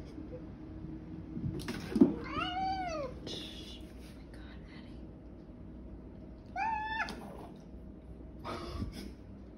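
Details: Domestic cat acting wild at bedtime indoors gives two drawn-out, arching meows, the first about a second long, the second shorter, with thumps and household noises between them.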